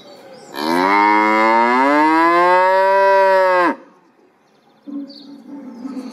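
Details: Cow giving one sustained three-second moo, harmonically rich and steady, with a slight upward bend before it cuts off, followed by a faint short low tone and a quiet background.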